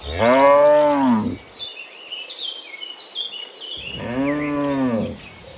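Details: Two strong arched moos from cows returning in the morning from the field to the pen, each just over a second, separated by a quiet gap with birds chirping.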